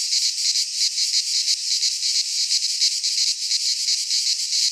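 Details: Cicadas of a Greek pine forest at midsummer, a brief stretch of intense high buzzing that throbs in slower waves over a steady sizzling hiss.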